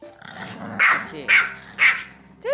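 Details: Two-year-old Pomeranian sulking indoors after its older companion, a Maltese, is praised during training: a low grumbling growl, then three sharp barks about half a second apart, ending with a rising yelp.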